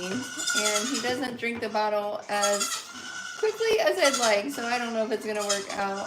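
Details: Repeated short bleats from farm goats during kid feeding time, each a steady nasal tone, some slightly wavering, coming close together over six seconds alongside human speech.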